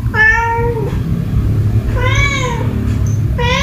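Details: House cat meowing angrily at another cat: three clear harmonic meows, each under a second, the second slightly rising then falling, with steady low background hum.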